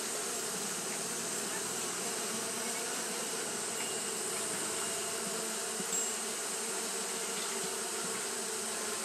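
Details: Japanese honey bees fanning continuously on a hot day; a steady, dense hum of many wings with tonal bands low and mid, plus a broad hiss above, unchanging throughout.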